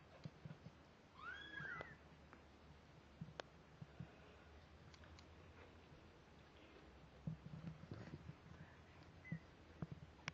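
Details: Two-week-old kittens, eyes newly open and starting to walk, one thin high mew rising then falling, with harmonics, near the start, then quiet shuffling, soft taps and clicks.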